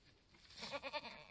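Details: Mini Alpine goat on a homestead where a black F4 buckling with white-frosted ears and nose was born in the woods on March 13, 2021; a short, wavering bleat of rapid pulses lasting about half a second.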